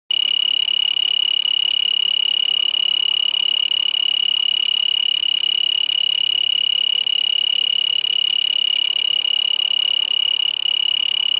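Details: A tree cricket in Marana, Pima County, Arizona, USA, still active on December 28, 2011, sings a steady, high, pure-toned trill that runs without a break.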